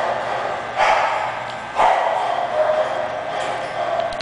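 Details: English Bulldog barking: two short, harsh barks about a second apart, then softer drawn-out voiced sounds over a steady background hiss.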